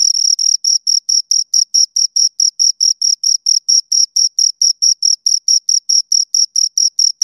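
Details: High, shrill chirping from two crickets, around thirty short pulses over seven seconds in a very regular, metronome-like rhythm, each note bright with a thin upper overtone; nothing else heard.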